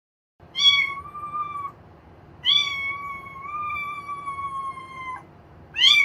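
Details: A domestic cat gives long, drawn-out howling yowls, signalling displeasure much like grumbling, often from extreme boredom.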